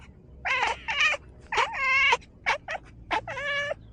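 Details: Pet cat chattering in small talk, giving a run of about six meows in four seconds, some long and wavering and others brief chirps, each with bright stacked harmonics, in a quiet room.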